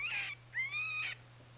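An eastern cottontail gives two harsh, high-pitched fear screams, the second drawn out and wavering.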